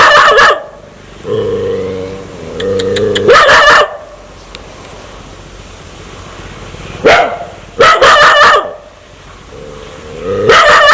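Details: Aggressive dog wanting to bite people: low, steady harmonic growls lasting about two seconds, broken by bursts of loud, harsh barks in quick doubles and triples.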